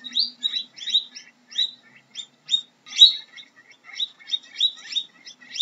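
A guinea pig gives quick, high, chirping squeaks in short irregular bursts.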